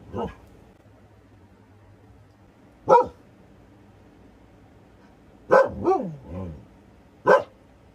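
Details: Nora the Siberian Husky intimidating a plastic bag in her yard, sister Freya beside her; scattered loud barks, one sliding into a short wavering howl-like yowl, with a faint voice early on.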